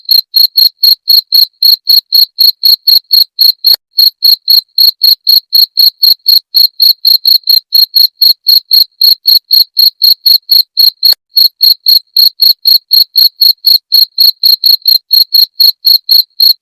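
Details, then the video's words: Long run of a cricket's shrill chirping, presented as a rat deterrent: piercing high pulses at a very regular four per second, unbroken apart from two faint clicks, with no other background sounds. "Suara Jangkrik pengusir tikus"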